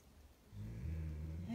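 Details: Podenco Canario named Super, aged 16, a rescued dog from Tenerife, 'talking' during a morning wake-up ritual indoors: a low, droning, moaning grumble that swells after half a second and holds for about a second.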